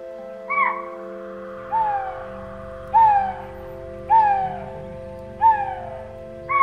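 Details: Chital (spotted deer) give sharp, shrill alarm barks about every second over a steady low drone, mid-afternoon on 16 May 2024 at 42 degrees near Teliya Lake, Tadoba Tiger Reserve, India, with tigresses nearby.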